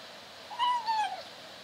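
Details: Female kitten in a cage trying to meow while eating: one brief strained meow of about half a second, rising slightly then falling, with a faint quiet room behind.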